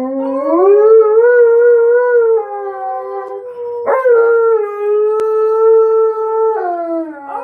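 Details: Tonka, a pet dog, howls together with its owner: long, loud, smooth tones that rise, hold steady, then break and resume, sliding down at the end, with faint music behind.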